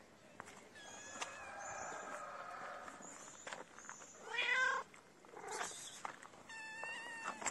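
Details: Hungry kitten crying for food: a few thin, high meows with drawn-out tones that dip and level off, fairly quiet, among soft rustles and clicks.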